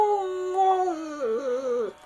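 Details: Siberian Husky singing indoors: one smooth, drawn-out harmonic howl that holds steady, then slides lower and wavers before breaking off after about two seconds.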